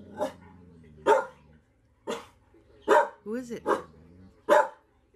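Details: Golden Retriever, a pet dog, barking in short sharp bursts, about six barks spread over five seconds with one drawn-out yelping note midway; a person's voice talks between barks.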